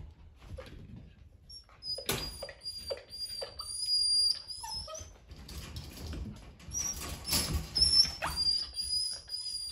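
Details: Playing poodle puppy boys, one called Eric; thin, high, drawn-out whimpers and squeals run through the clip with soft yips and scuffling in a small indoor room.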